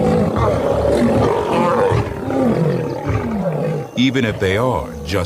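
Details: Lion of a pride giving low, gravelly roaring growls for about four seconds, rising and falling in pitch, followed by a brief burst of human speech at the end.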